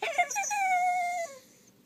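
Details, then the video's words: Pet dachshund reacting to a sound that drives him nuts, giving a steady, tonal whine that holds level for about a second, then fades, with a brief voice at the start. "My little wiener makes weird noises"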